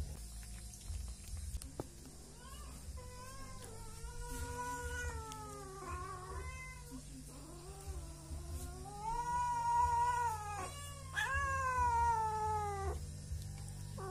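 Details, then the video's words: Three cats, angry at not yet being fed, demanding food in a rural setting; long drawn-out harmonic meows rise and fall in overlapping bouts, with steady low hum underneath. "Kucing Tiga Serangkai marah belum di beri makan"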